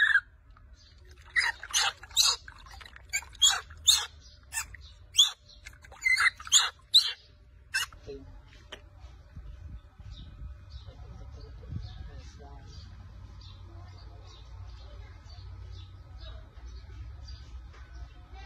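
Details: Baby monkey crying very loudly after its mother takes its milk bottle during a bath: a run of sharp, high, rhythmic squealing cries for about eight seconds, then quieter chatter over a low background hum.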